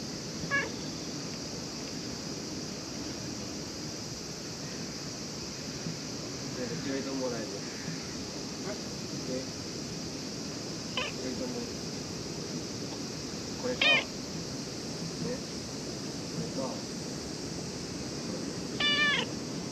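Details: A cat, likely a stray, comes to be petted at a ferry terminal in Japan while ferries are cancelled; several short harmonic meows over steady wind or surf noise, with human speech in the background.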